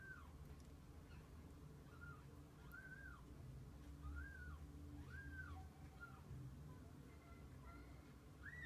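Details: Kittens with their mother cat spending the day together; a series of short arched, high mewing calls repeats every second or so, over a steady low hum.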